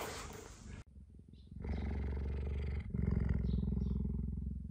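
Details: Female captive cheetah Gerda, defending her home, voicing displeasure as she approaches male cheetah Messi after he leaves her enclosure: a low, rough pulsed rumble of about three to four pulses per second, steady and growing louder midway, after a brief burst of noise.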